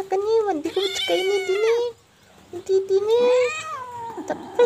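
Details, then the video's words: Cat giving two long drawn-out meows, each rising then sliding down, with a brief quiet gap between them and a person speaking briefly. "Cute cat"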